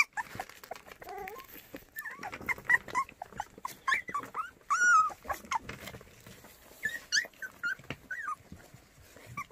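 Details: White puppies from Cheongdo, Korea, one of seven white dogs offered for adoption, whine and squeak indoors: thin, wavering high-pitched cries in scattered bursts, with a sharper, louder squeal near the middle.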